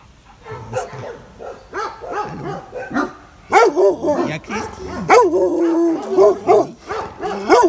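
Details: Frightened by an unfamiliar person at the Biberach animal shelter, Benno, reportedly a Landseer, barks loudly and repeatedly. Deep, strained barks build in intensity, sometimes drawn out into whining, yelping tones.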